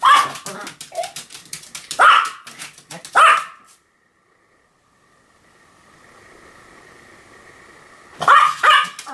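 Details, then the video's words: Rapid, dense Pomeranian yapping with overlapping barks, then several seconds of near silence with a faint steady hum, before another quick burst of barks. "犬の鳴き声 ポメラニアン 1000回吠え Dog sound effect"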